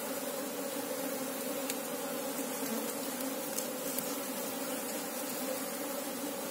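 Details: Asian honey bee (Apis cerana) hive drone heard during a hunt for the queen: a steady, slightly softer buzzing hum in two layered tones, continuous, with a couple of faint clicks midway.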